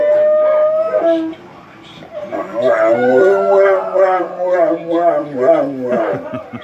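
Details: Two female Cane Corsos howl in long, wavering tones set off by a passing siren, with a third dog joining in for the first time.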